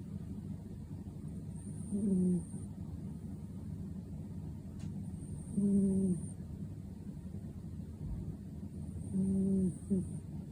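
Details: Sleeping Ragdoll cat snoring, deep in dreams; soft rasping breaths recur about every three to four seconds, each with a short tonal wheeze, over a steady low background hum.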